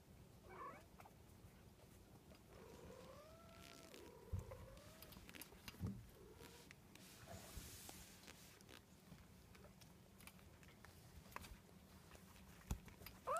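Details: Coco, a 38-day-old Munchkin kitten, gives soft, drawn-out wavering meows, two overlapping cries early on, with a brief squeak near the start and a thin rising cry at the very end over faint clicks and low hum.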